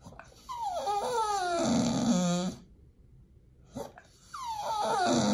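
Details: Pit Bull begging for its raw food meal at feeding time: long, high whines that slide downward with strong harmonics and end low and throaty, a short silence, then another falling whine starts.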